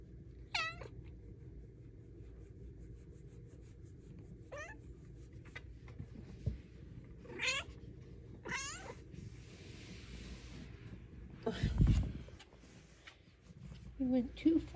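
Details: Luna the cat, getting belly rubs, lets out five or six wavering meows spread over fifteen seconds, ending with a low rustle and soft murmurs.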